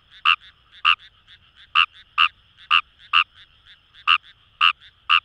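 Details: Kawamura's rice frog in rice paddies of Itoshima, Fukuoka Prefecture, Japan, wild: sharp rasping croaks in uneven pairs and runs, roughly eleven notes, over a soft continuous chorus of distant frogs.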